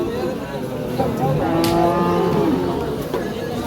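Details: Cow at a cattle market during haggling over price; a long, low, steady moo swells in the middle seconds and then fades, with men talking and general market hubbub around it.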